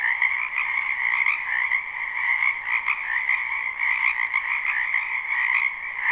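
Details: Frogs gathered in a spring wetland croak as an unbroken mass, recorded live; layered trilling voices blend into a constant buzzing drone with faint rhythmic pulses and slight rises in loudness.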